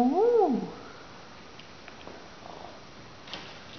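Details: Young female rescue cat described as a Russian Blue, indoors, talking when spoken to: one short arched meow rising then falling at the start, followed by quiet room noise with faint soft rustles.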